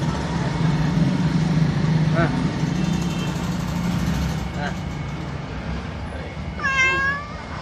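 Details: Cat asking for food at a market in the town of Duri, Riau; a few short meows, then a louder drawn-out harmonic meow near the end, over constant market chatter and rumbling engine traffic.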